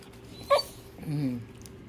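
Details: Male Shiba Inu in Japan, woken from sleep, greets its owner returning home with a talking "good morning"-like sound: a sharp short yelp, then a drawn-out, wavering moan that slides downward, with people speaking around it.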